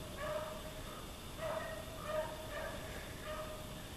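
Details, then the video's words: Daisy the dog trails rabbits in a Maine back yard, her distant drawn-out bays repeating roughly every second in a steady run, faint over a quiet outdoor background. "Daisy Hunting In The Back Yard In Maine"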